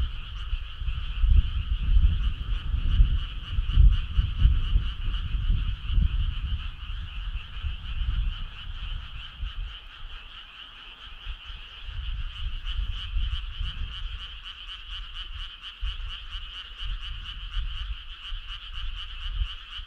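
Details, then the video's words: A chorus of frogs on a summer night, many overlapping calls blending into a continuous high, shimmering trill. Rapid pulses stand out more clearly in the second half, with low rumbling noise underneath throughout. "Cool frog sound"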